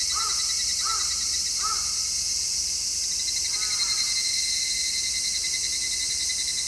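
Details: Summer-heat cicada chorus on an MKH-416 stereo microphone, an unbroken shrill drone; at the start a crow caws three times in quick succession, then a softer wavering bird call follows before the buzzing carries on.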